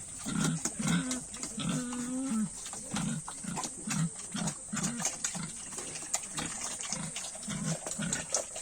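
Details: Domestic pigs on a farm at feeding time, giving a steady series of low, short grunts, several per second, some drawn out into longer nasal grunts, with faint background hiss.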